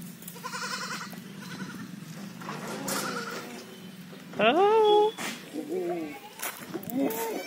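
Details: Jamunapari goats at a state goat farm: one loud, wavering, nasal bleat midway with rising and falling harmonics, followed by several shorter quavering bleats, with quieter bleats and background chatter earlier.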